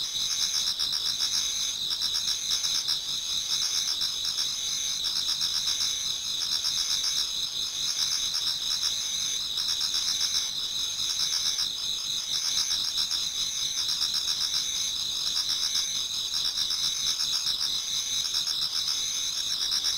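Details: Japanese garden in autumn just before dawn, filled with many singing insects: continuous high-pitched trilling and rapid pulsed chirping running unbroken for twenty seconds at an even level.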